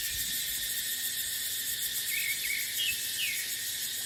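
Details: Cicadas in a dry dipterocarp forest in the dry season: a dense, steady, hissing shrill chorus with no pause, and a few faint short chirps from birds in the background.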